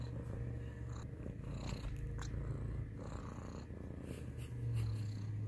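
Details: Domestic cat purring in a close ASMR-style recording: a steady, low rumbling purr throughout, continuous and even, with faint soft rustles above it.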